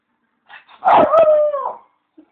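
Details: Bichon; howl; asking for his bone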